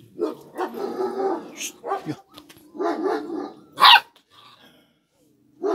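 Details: Kangal shepherd dog puppies: irregular bursts of short, hoarse barks and yelps, some loud and sharp, separated by brief pauses, with a low steady background hum.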